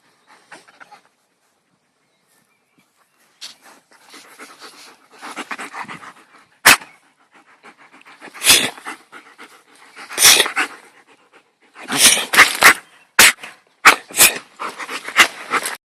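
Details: Dog panting and sniffing close by, silence at first, then rapid breathy bursts and sharp huffs growing louder and more frequent, some loud clicks or knocks between them.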